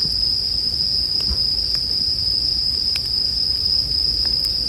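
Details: Bell crickets sing a continuous shrill ringing note without pause, set against a campfire whose wood gives occasional crisp crackles and pops, with a gentle low background hum.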